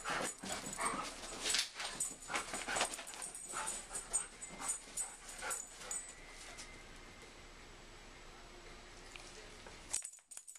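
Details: Play fight between a German Shepherd and a Siberian Husky: rapid, irregular high whimpers and yips for about six seconds, mixed with scuffling, then the action fades to near quiet.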